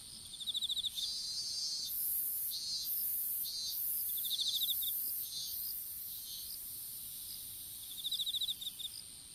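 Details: Open-air strawberry field insects, captured on a smartphone that fell during seedling planting. Short fast-clicking trills recur among rhythmic high buzzing pulses above a constant thin whine.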